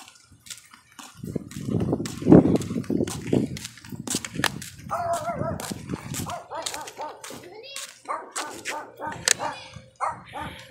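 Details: An American Bully, off leash and meeting a neighbour's dog, gives deep rumbling growls and gruff barks, then a high wavering whine, amid scuffling and a person's voice.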